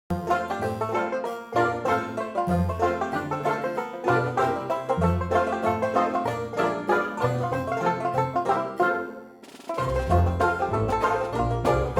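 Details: Bright banjo picking in a bluegrass style plays continuously, pausing briefly near the end, with no animal sounds heard.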